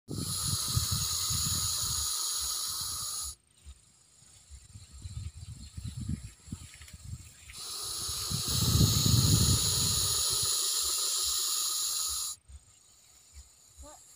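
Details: Russell's viper, a venomous snake, in a village: two long, loud, breathy hisses of about three and five seconds, separated by a quieter gap, over a low rumbling background.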